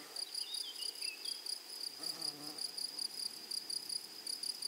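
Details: Grasshoppers in a flowery meadow or prairie produce a high, steady ringing trill that pulses in quick regular bursts, with a faint higher overtone. Short thin chirps sound early on, and a soft low rustle comes near the middle.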